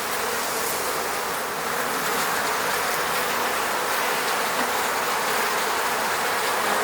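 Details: A dense, steady hum of many honey bees buzzing around their hive in the Moscow region, their wingbeats merging into one continuous drone.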